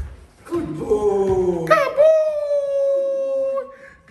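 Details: An 11-month-old Neapolitan Mastiff named Drake, in foundation protection training, gives a drawn-out tonal howling whine. It slides down, then holds steady for about two seconds before fading, with a man's voice over the start.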